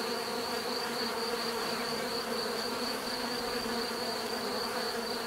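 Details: Low, even buzzing of bees forms a constant drone with gently pulsing hum tones, over a quiet persistent high-pitched whine.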